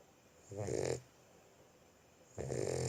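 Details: Boxer puppy asleep, two raspy snores, each under a second long, separated by more than a second of near silence.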